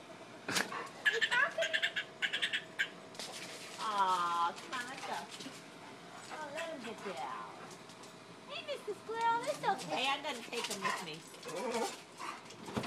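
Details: A dog pining over a squirrel gives long, wavering whines and whimpers that rise and fall in pitch, with short rapid bursts early on and quieter stretches between.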